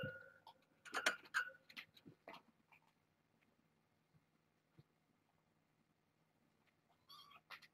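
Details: Domestic kittens from a litter of six, four females and two males, born August 29th to a family pet. One clear harmonic meow-like cry with strong overtones near the start, a few softer squeaks after it, and another brief cry near the end.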